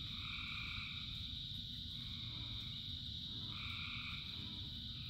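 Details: In the rain a frog chorus keeps up a high continuous drone while longer two-pitched calls swell and fade, three across five seconds, with rain pattering underneath.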